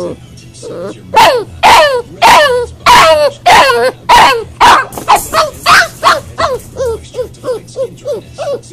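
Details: Boxer puppy left alone in a crate during crate training, upset: a run of loud, high yelping cries with falling pitch, about two per second, turning into shorter, softer whines toward the end.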